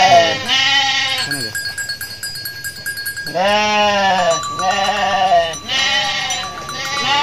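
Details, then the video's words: Running flock of Garut sheep in a rice-field area as males charge about. Harsh, quavering bleats follow one another closely, two or three voices overlapping, with short quieter gaps of background rumble between calls. "DOMBA GARUT NGAMUK | KAMBING LUCU | SUARA KAMBING"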